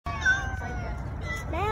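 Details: Angry male stray cats on a street challenge each other at length over territory; one long, sustained yowl with rich harmonics, gliding slightly downward, then bending sharply upward at the end, over low traffic rumble.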